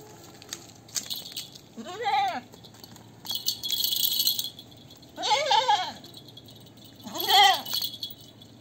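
A goat gives three wavering, nasal bleats, each about half a second long, a few seconds apart.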